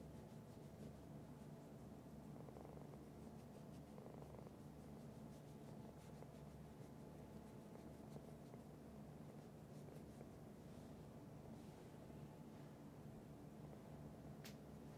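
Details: Pet cat purring: a steady, quiet, low rumbling purr runs unbroken through the whole recording, with a few faint soft clicks above it.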